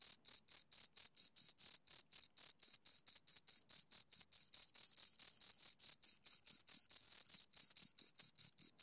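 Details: Two crickets stridulating: rapid, sharp, high-pitched chirps in a steady run of roughly two to three per second. Pulses briefly blur together midway, then resume their even spacing. No other sound.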